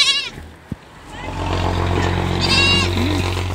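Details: Kept goat, described as harmless but mischievous, gives a loud, brief, harmonic-rich bleat at the start, then a shorter, fainter bleat near the end over a steady low hum and background noise.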